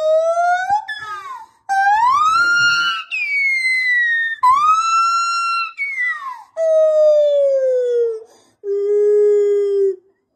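A gibbon calls in loud, clear, hooting notes that rise steeply, hold, and then glide down, each lasting one to two seconds. The last notes are lower and steadier, falling gently before it stops.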